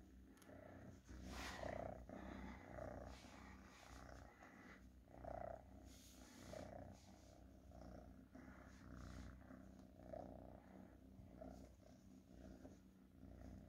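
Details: Purring house cat, a faint, even rumble running throughout, broken by soft breathy swells every couple of seconds and scattered clicks.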